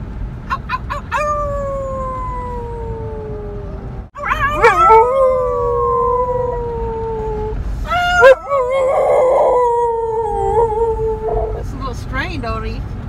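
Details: Pit bull dog howling during a birthday celebration in an RV: long, drawn-out tones that slide slowly downward, several separate howls with short breaks between them, over a low background hum.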